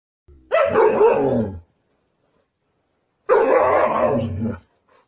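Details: Siberian Husky giving two loud, rough, woofing barks about three seconds apart, each lasting around a second, with silence between and around them.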